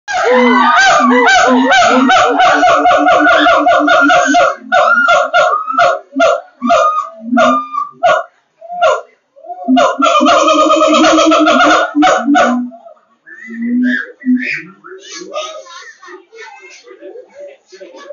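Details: A siamang at Ragunan Zoo gives loud, rapid bursts of harsh, ringing barks and hoots that rise and fall in bouts.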